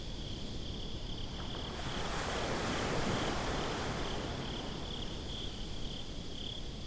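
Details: Crickets on a beach at night in a binaural recording, giving a thin, high, evenly pulsed chirping throughout, set against rushing surf that swells and fades, with a few faint clicks near the start.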